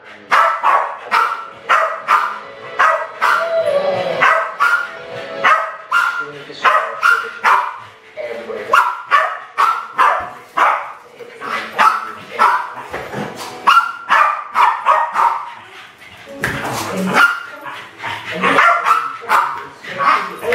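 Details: Westies Alfie and Crystal, around 7 and 8 years old, attack balloons in a home kitchen, 2012. Rapid excited barking runs continuously, with clustered yaps and a few louder bursts near the end, plus faint background voices.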